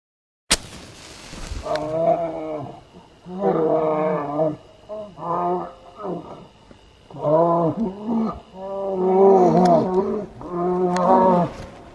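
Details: Wild brown bears fighting in Finland in July 2018 roar and growl in harsh, rumbling bursts.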